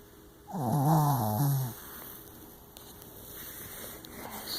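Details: A male Shih Tzu / Yorkshire Terrier mix, tired from a hike, snores with one low, rumbling, harmonic breath lasting about a second.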